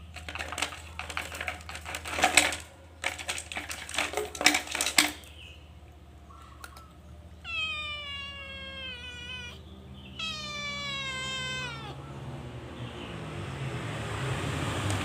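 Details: Caged calico cat caught stealing food: rapid clicking and rattling at first, then, after a pause, two wavering, drawn-out meows in quick succession over a low background hum.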